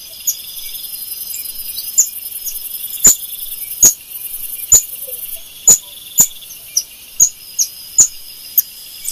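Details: A screaming golden lion tamarin (Leontopithecus rosalia) gives sharp, very high-pitched chirping screams, repeated every second or so.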